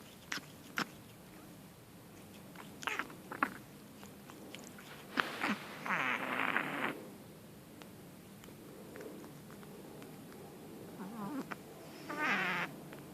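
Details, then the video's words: Kitten named Sammy snorting like a pig with water involved: short rough, noisy snorts, including longer raspy bursts near six and twelve seconds, with scattered soft clicks in a quiet indoor space. "Kitten Making Piggy Noises"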